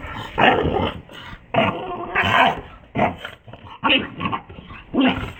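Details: A Boston Terrier, which its owner says has a bad temper, gives drawn-out growls and grumbling bursts about once a second, slowed down in slow motion.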